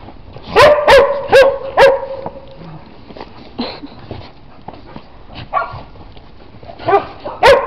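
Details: Dog in snow barking in two bursts: four sharp, ringing barks in quick succession at the start, a quieter stretch with soft thuds, then two more loud barks at the end.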